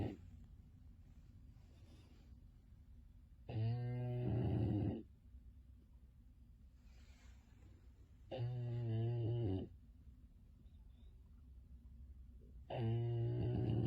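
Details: Finnley, a Bulldog, asleep and snoring: three loud rattling snores of over a second each, coming roughly every four to five seconds, with quiet breaths between, indoors.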